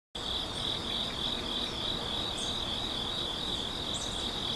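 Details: Grass insects in a forest in the morning at A Hundred Years Valley, Yeongwol, South Korea, giving a continuous high, shrill, even trill that runs without a break, with faint soft chirps now and then above it.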